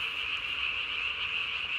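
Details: Night calling of Japanese tree frogs, filmed 3 May 2020, with the chin vocal sac blown up to body size; an unbroken, piercing high trill forming a constant wall of sound.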